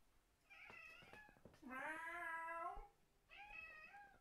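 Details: Fang the cat, a pet indoors, answers people's fake meowing with his deranged meow: harmonic calls, a short rising one, then a long loud wavering meow and a shorter final meow.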